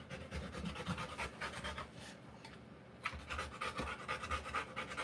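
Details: Labouring Rottweiler mother delivering puppies; uneven bursts of quick panting broken by a near-silent pause around the middle, then resuming in ragged breaths.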